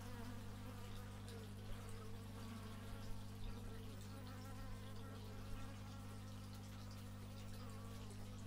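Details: Bees recorded outdoors in stereo with an x/y microphone: a steady, droning buzz with a low, even hum that holds throughout, and faint higher wavering tones above it.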